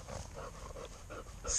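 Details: English Labrador Retriever, 14 months old, panting during field training work; rhythmic breathy pants about every third of a second, with a handler's commands to sit and hold nearby.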